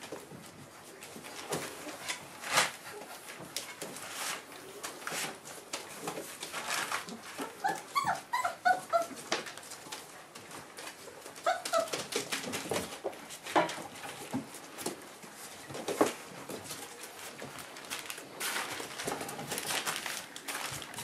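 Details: Four-week-old Boerboel pups with their mother Aston, living alongside other dogs, give thin high whimpering yelps in scattered bursts, clustered midway through, over a busy, rustling indoor background.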